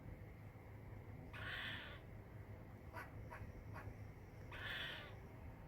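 A squirrel gives two harsh, raspy chirps, a few seconds apart, with soft clicks in between.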